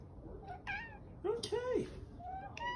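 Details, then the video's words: Dakota, a pet cat known as The OK Cat, gives a meow that sounds like "okay": a short two-part cry with a falling, arched pitch, layered over a woman's voice asking her to say okay. "Talking Cat Says Ok"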